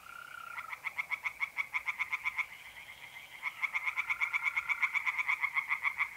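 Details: Night chorus of tree frogs in a pond in north-eastern Italy in mid-April, loud rapid rattling pulse trains in two bursts broken by a short pause, over the steady, even trill of mole crickets.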